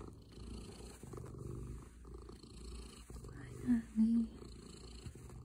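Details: Pet male house cat purring in cuddle mode as its owner arrives home from work; a steady low rumbling purr runs throughout, with a short human voice sound breaking in near the middle.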